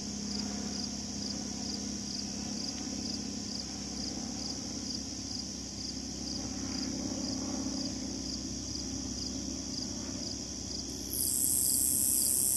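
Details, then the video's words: Slightly Musical Conehead katydid stridulating at the Assabet River National Wildlife Refuge in Maynard, Massachusetts; an unbroken series of high, evenly spaced ticking pulses, about two per second, over a low hum, with a louder high hiss joining near the end. "Stridulating Conehead Katydid"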